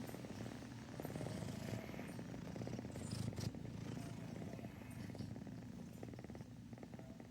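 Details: Continuous low, buzzing purr from Rum, a house cat, with rapid fine pulses running the whole way through and a slight swell in the middle; two other cats are present, one snoring and one sniffing.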